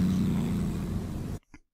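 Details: A domestic cat with upper lip raised gives a low, vowel-like open-mouth growl, an early warning in aggressive or defensive situations, rumbling steadily before a brief trailing grunt.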